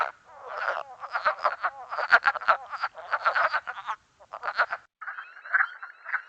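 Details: Wood frogs of the Mont Saint-Hilaire biosphere region, Quebec, chorus with rapid, clucking croaks that sound much like a chorus of ducks.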